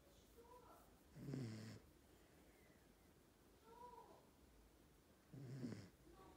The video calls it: My miniature schnauzer snoring